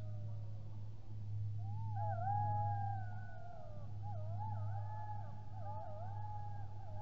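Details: Golden jackals at Matsalu on 28 February 2023 howl together in a wavering chorus, several voices sliding and warbling up and down over a low hum, while a female White-tailed Eagle listens.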